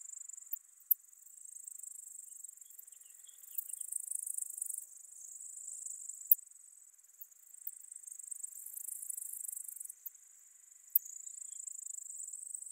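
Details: Song of Poecilimon ornatus, the ornate bright bush-cricket, at Seewiesen, Germany, 28 June 2019: very high, faint, rapid tick trains swelling in a few louder bursts with sharp isolated clicks between them, over a quiet background.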